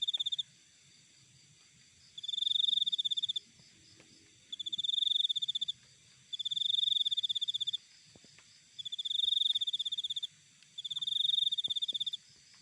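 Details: Cricket recorded outdoors in nature, high pure trilling bursts of about one second repeated every two to three seconds, each a rapid pulsed chirp, over faint low background rumble.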